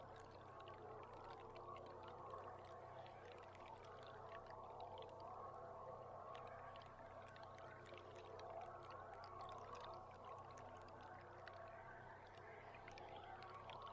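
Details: Belugas heard underwater from a boat hydrophone cam on July 16: a dense chorus of wavering, warbling whistles and rapid clicking crackles layered over one another, with a steady low engine hum beneath.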